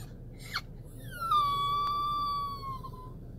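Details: A dog left in a car reacts to its owner vanishing with one long, high whine: a short rising squeak, then a steady nasal tone held almost two seconds before it fades. A low rumble sits underneath.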